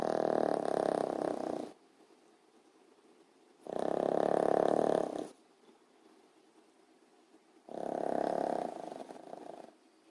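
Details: Mango, a pet dog, napping and snoring heavily: three long, rough, rasping snores, each about one and a half seconds, come roughly every four seconds, with quiet breathing between them.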